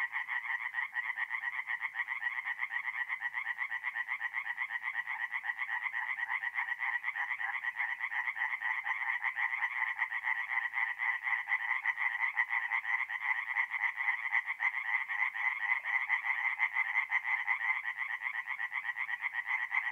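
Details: Dense nighttime chorus of singing tree frogs at a forest pond in North-East Italy in mid-April: overlapping rapid, rattling croaks run continuously without pause, several callers blending into one steady pulsing wall of sound.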